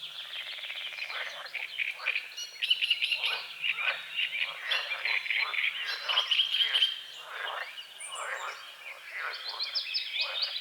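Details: Frogs calling at sunrise on a small lake with water lilies and calamus near the forest: busy, clicking croaks repeated in waves, interlaced with birdsong chirps and a high whistled note late on.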